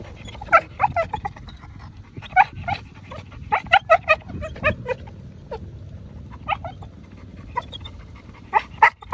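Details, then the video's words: Chow Chow left at a dog park cries for its owners to return: repeated short high yelping whimpers in clustered bursts of two to four, with breaks between, over steady low outdoor background noise. "Sooking Chow Chow"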